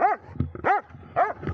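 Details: Dobermann named Magmar Von Der Burgstätte, 11 years 3 months old, giving three loud barks, each with an arched, ringing shape, spaced about half a second apart, with low background rumble.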